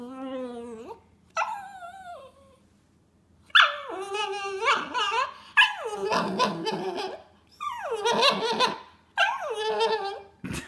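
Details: A frustrated puppy starts with rising whimpers, then bursts into loud harsh yips and wavering whine-howls, each burst lasting about a second and following quickly one after another.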